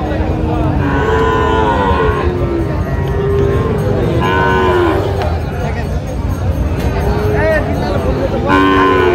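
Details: Sahiwal bull calves, about six to seven months old, at a busy cattle market in Cumilla, Bangladesh, on 12 June 2025; several drawn-out harmonic lows rise and fall amid constant crowd chatter and bargaining voices.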